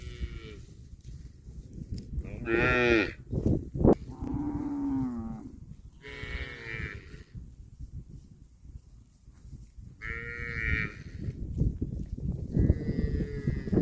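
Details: Cattle eating grass, mooing repeatedly: several drawn-out, harmonic-rich moos, some bright and nasal, some lower and shorter, with quiet munching and rustling between calls.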